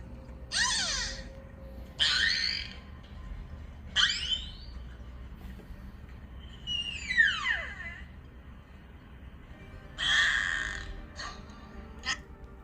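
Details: Wild beluga whales at sea give squealing whistles, falling sweeps and buzzy pulsed bursts in uneven bouts, calling to one another.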